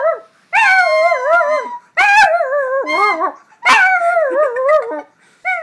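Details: A pet chihuahua howls to a recorder being played, giving wavering, warbling notes that dip and climb in phrases of one to one and a half seconds, with brief gaps between them.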